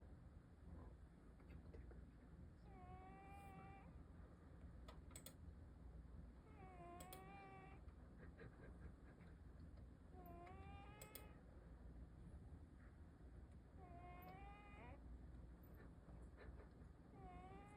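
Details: A sleeping cat snores with a whistling, wavering tone on each breath, repeating roughly every four seconds over a steady low background hum.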